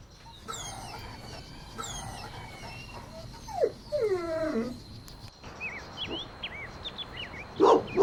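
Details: Playful Golden Retriever puppies outdoors in a green meadow give drawn-out, high whines that slide downward in the middle of the recording, followed by short upswept chirps and a louder closing burst over a steady background hiss.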